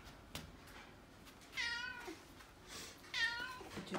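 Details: Hungry brown-and-white cat named Choco pressing for food indoors, rubbing against feet; two clear, wavering meows about one and a half seconds apart, with light tapping and quiet indoor background.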